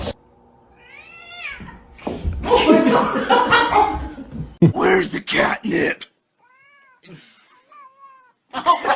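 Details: Kitten crying with short arched meows, one clear whining meow at the start and fainter thin meows later, between people talking and laughing nearby and a question about catnip.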